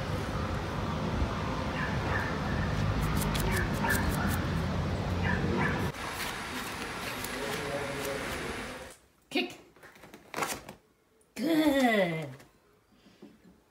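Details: Yorkshire Terrier vocalizing: a long stretch of dense, noisy rumbling with faint tonal streaks, then brief sharp yelps and a drawn-out whine that slides downward in pitch, with quiet pauses between bursts.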